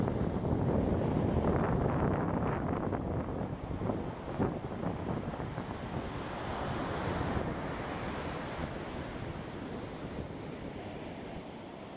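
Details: Steady roar of surf and wind buffeting the microphone, fading slightly over time, with no animal sound.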